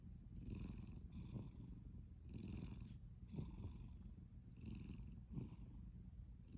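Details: Sleeping cat with gentle snoring, a rumbling low drone overlaid by repeated breathy whooshes in pairs, about five breaths, nothing else audible.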